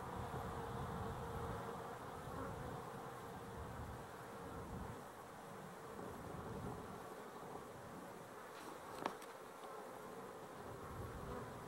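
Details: Honey bees recorded 12-11-23, a steady, dense, low humming drone of many wings that holds without pause throughout, with one sharp tap or click near the ninth second.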